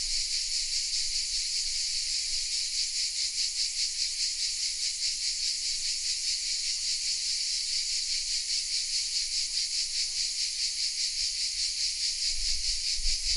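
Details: Many cicadas calling from oak trees in Vézénobres, a small village in the south of France, recorded on a Sony RX10 M3: high, hissing buzz with quick rhythmic throbbing, steady from start to finish.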